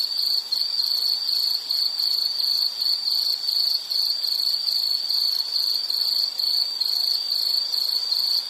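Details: Insect chorus in a relaxing nature recording: a steady, shrill, high chirping pulsing rapidly and continuously with faint higher overtones, no other sounds.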